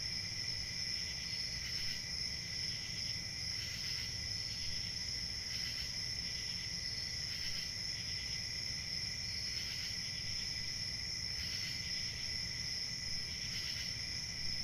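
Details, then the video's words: Chorus of crickets chirping: a continuous shrill, high-pitched ringing drone with brighter pulsing bursts that swell roughly every two seconds, over a soft low rumble of background noise. "Crickets chirping"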